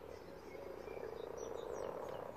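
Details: Over a hundred spawning common frogs in a pond produce a thick, unbroken rumble of low purring croaks, slightly swelling toward the end, with a few faint high chirps.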